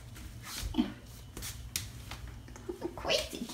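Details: Seven-week-old foster kitten, one of three named Nutmeg, Cinnamon and Gingersnap, purring indoors during weighing and play: a low, steady rumbling drone throughout, overlaid by sharp clicks, taps and handling noises.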